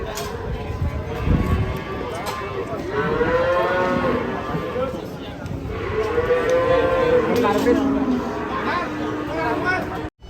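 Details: Horned cattle unloading from a pink truck in Indonesia, described as angry; two long, loud harmonic moos swell and fall around four and seven seconds, with a lower bellow between, over engine rumble and background chatter.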